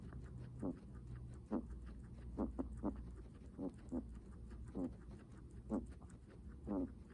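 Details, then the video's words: Guinea pig breathing heavily: short wheezy, low puffs repeated roughly once a second, about eight breaths in a row, over a steady low background hum. "Guinea pig heavy breathing sounds"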